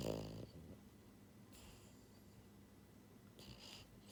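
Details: Sleeping pied female French Bulldog, a pet born January 2022, gives one short, low, rattling snore at the start, then quieter breathy exhalations with faint hiss over a soft background.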